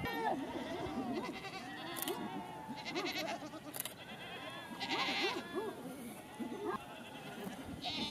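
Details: Angora goats at a birth, raw documentary footage; several overlapping wavering bleats of varied pitch sound throughout, with scattered brief noisy bursts.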